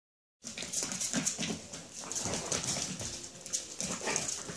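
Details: Chihuahua puppies about seven and a half weeks old, several together indoors, giving short high squeaky whimpers at irregular intervals over steady scratching and rustling noise.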